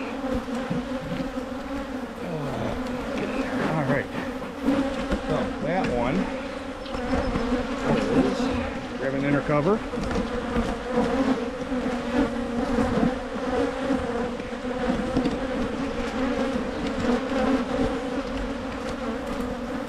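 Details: Michigan honey bee hives opened for making splits against swarming give a continuous, rich droning buzz lasting the full stretch, with scattered brief bending tones early on and small knocks and rustles.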